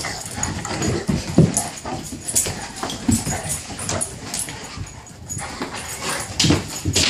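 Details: Bullmastiff and young household Dogue de Bordeaux wrestling in play, giving deep throaty growls and gruff snorts, with scuffling noises between uneven loud bursts.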